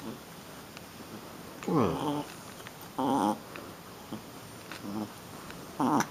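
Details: Female Shih Tzu puppy playing rough indoors, giving four short, harmonic growly yips and whines spaced about a second apart, each rising then falling, over a low steady background hum.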